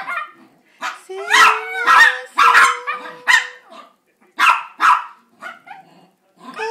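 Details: Chihuahuas begging for a treat with a song: irregular runs of shrill yips and barks, some drawn into short whining howls, with a faint steady tone underneath and gaps of near silence between bursts.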